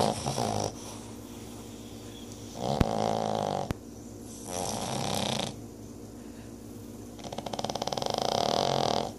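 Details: Two deaf Boston Terrier sisters snore with broad, raspy breaths that swell and fade every couple of seconds.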